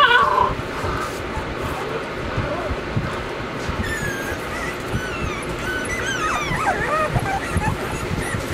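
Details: Weimaraner puppies, Bailey, Hailey and Jenny, filmed in summer. Against a steady, hissy background, thin whining whimpers sweep up and down over the last half, several overlapping high yelps clustered near the end.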